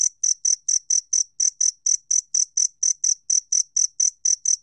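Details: Clean 2020 National Institute of Biological Resources recording of a two-spotted cricket: crisp, ringing high chirps repeated evenly, roughly four per second, around twenty in all, with nothing else audible.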